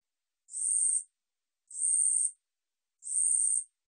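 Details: Katydid (Korean 우리여치), recorded by the National Institute of Biological Resources in 2020: three dry, buzzy high-pitched rasps, each about half a second long, spaced roughly 1.3 seconds apart, over a silent background.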